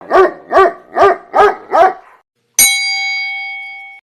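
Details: An Aspin dog tied on a very short leash gives five quick, mid-pitched barks in a steady series, followed by a ringing chime.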